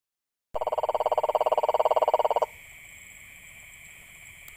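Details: Frog calling in a rapid, even pulsed trill of about fifteen beats per second that lasts roughly two seconds and then stops abruptly, with a steady high-pitched hum continuing in the background.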